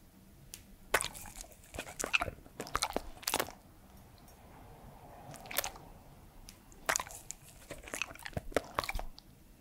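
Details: Edmundo, a three-year-old Pembroke Welsh Corgi, eating during an indoor ASMR recording: sharp crunchy bites and wet chewing clicks come in irregular bursts, with quiet pauses between mouthfuls in a small room.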